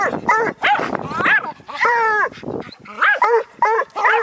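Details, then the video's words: Bluetick Coonhound pup and a Jack Russell terrier barking at a coon: drawn-out, bugling barks that swoop up and down in pitch, followed by quicker sharp barks, over a man's excited commands. "Bluetick pup and jack russel bark at coon"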